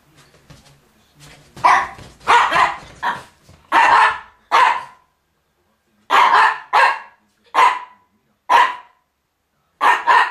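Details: Miniature Pinscher Jip, December 2009, barking while chasing Viva off a rug indoors. Sharp, loud barks come in short bursts, some doubled, separated by brief silences, with soft snuffling at the start.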